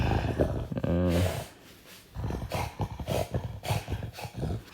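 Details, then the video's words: French Bulldog, described as a good guard, reacting to strange noises with a deep, throaty growl: an early resonant rumble followed by choppy, pulsing grumbles that keep going to the end, indoors. "That's what happens when the French bulldog Oleg hears strange noises"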